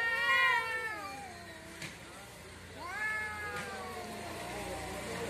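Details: Cats fighting in front of a house: long, wavering, harmonic yowls that slide downward, a pause, then a second drawn-out rising-and-falling howl with faint background hum.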